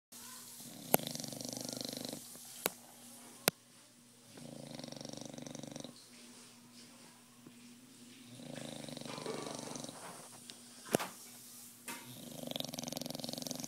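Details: A sleeping bulldog snoring. Long raspy drawn breaths with a steady hum come in four rounds, about two seconds each, separated by quieter pauses, with a few sharp clicks.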